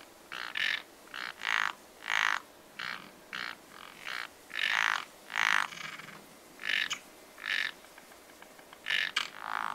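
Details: Spring pond frogs calling together, with about a dozen raspy, nasal croaks of varied loudness in loose succession, some doubled, a few near and strong, others distant, over a quiet natural background.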